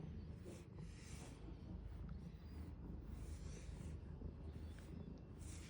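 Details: Deep, even purr of a large cat during grooming with a brush, punctuated by repeated airy scraping swishes of the bristles.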